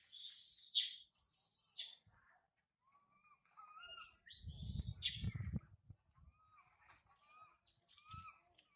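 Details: Sario, a baby monkey abandoned by mother Sarah, cries loudly high in a tree. Shrill screams mix with tonal, whining calls, while a low rumbling noise swells in the middle.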